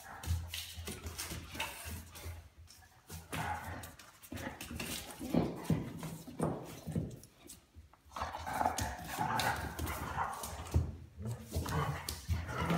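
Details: Weimaraner puppy pestering a patient adult Weimaraner; rough, low grumbling growls and scuffling noises rise and fall continuously, with busy broadband bursts throughout and a brief lull near eight seconds.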